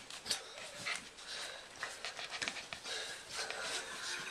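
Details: English Bull Terrier puppies, 5 weeks old, give soft, breathy whimpers and panting squeaks in quick, uneven bursts.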